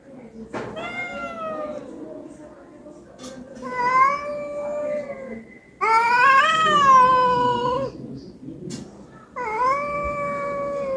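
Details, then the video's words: A pet cat that had just eaten keeps crying for attention; four meows, the first long and falling, then a short one, a loud rising-and-falling wail, and a final steady drawn-out meow, separated by brief quiet gaps. "আমি পঞ্চাননতলার ম্যাও"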